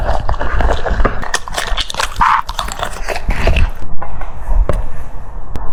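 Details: Crunching cucumber, a French Bulldog bites through in rapid snaps that thin out toward the end into a few isolated cracks, with a brief soft squeaky sound in the middle.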